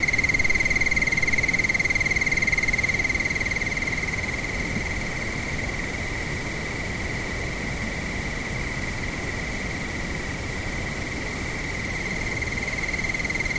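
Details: Crickets at nightfall in windy weather: a steady, rapid, high-pitched pulsing trill, about four pulses a second, runs throughout over a constant broad rush of wind.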